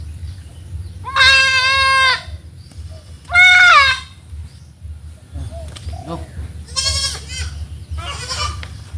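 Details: Domestic goats on a farm, filmed during deworming with an oral suspension (Valbazen) against worms: two long, loud, quavering bleats near the start, then softer, shorter bleats toward the end over a low background hum.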